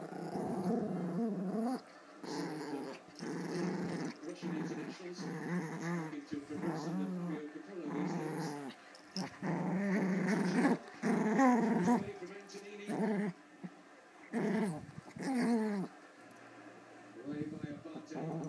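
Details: Play fight over a toy between two girl Pomeranians, one small and one adult; the bigger dog growls. Long sequence of rumbling, uneven growls in many short bursts with quick pauses, rising and falling in intensity.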